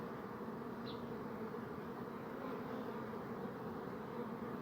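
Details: Bees humming in a thick, unbroken drone of many wings, steady in loudness, with one brief faint high chirp early on.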